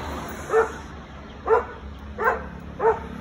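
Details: An American Akita, called a dangerous dog, barks in Gurgaon: four clipped, resonant woofs spaced roughly two-thirds to one second apart, with steady low background noise and a man speaking Hindi nearby.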